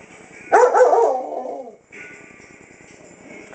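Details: Indoors at night, Lexy, a German Shepherd Dog aged seven who is going blind, gives a drawn-out bark that trails into a whine while reacting to a clock; television-like background hum follows.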